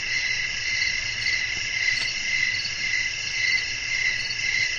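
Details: Crickets chirping through the night with wind blowing, steady pulsing high chirps close to twice per second riding on a constant shimmering insect background.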